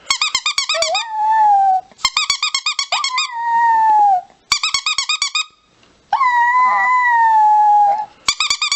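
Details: Chihuahua giving rapid high yapping bursts, each run of quick yips followed by a long drawn-out falling howl, the pattern repeating about four times in under nine seconds indoors.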